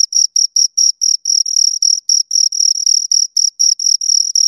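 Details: Two crickets produce sharp high chirps of varying length, brief pulses early on, then extended trilling runs in the middle, with a clean silent background.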